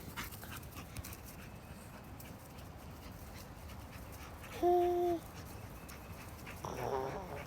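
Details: Labrador Retriever named Sassy, urged to go fetch her ball, lets out one steady, high, even-pitched whine of about half a second over a constant hiss, then a person's voice follows.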